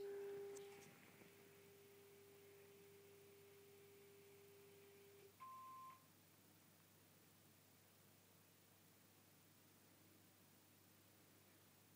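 Steady electronic tones and a brief higher beep sound in a quiet room, with no animal voice.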